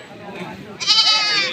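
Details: Goat at the livestock haat by the Dinajpur railway market, Bangladesh, letting out a sudden loud, strained bleat in the second half, after a stretch of people haggling over a pair of animals amid market noise.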